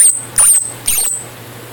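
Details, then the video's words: Orphaned baby squirrels, mother lost in a storm, heard close up giving three thin, very high squeaks spaced a fraction of a second apart, followed by quiet with a low steady hum. "Baby Tree rats"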